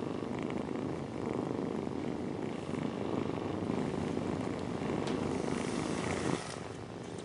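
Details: Mother cat purring as she nurses her kittens, followed by sleep: a steady, low, rumbling pulse with faint soft rustles and a slight swell near the end.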